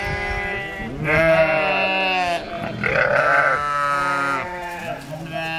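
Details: Two rejected lambs being fed by a sheepdog mother alongside her puppies on a sheep farm. Drawn-out, tremulous bleats, some high and some deeper, follow each other with brief gaps.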